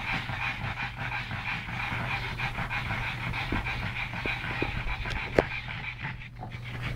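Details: Two rescued pug brothers from Malta play-wrestling; continuous rapid breathy panting with scattered clicks and scuffling, a sharp knock near the end, over a steady low hum.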